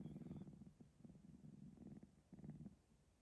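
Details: A male three-month-old Sphynx cat purrs steadily after a nap, a low rumbling vibration pulsing with each breath, and yawns too.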